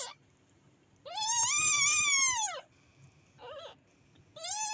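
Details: Kitten crying out with one long, loud arched meow, followed by a tiny faint mew and the start of another loud call; soft room noise between calls.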